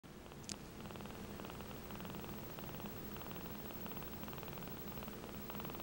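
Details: Happy 4-week-old kitten purring away on its birthday indoors: a steady, soft pulsing rumble that throbs continuously, with a brief click near the start.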